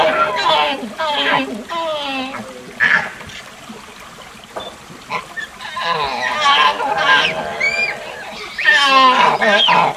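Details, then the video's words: Proboscis monkey (Nasalis larvatus) calling in a series of nasal, honk-like bursts with rich harmonics, some wavering and some briefly rising, spread irregularly over ten seconds with quieter gaps between groups. "Proboscis Monkey Calling Sound"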